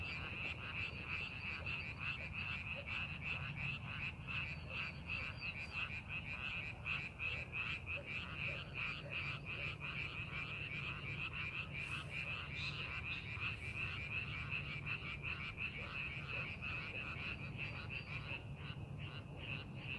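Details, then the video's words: In paddies under farming preparation, many frogs croak together, a continuous rapid rattle of harsh notes about three per second, with a faint low hum underneath and brief higher clicks. "농사준비하는 논에서 개구리 울음소리"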